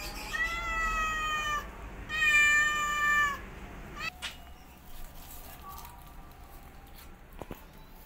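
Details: Mother cat teaching her kittens to walk while they meow loudly; two long, drawn-out, strongly harmonic meows in quick succession, then quieter faint mews and clicks against a low hum.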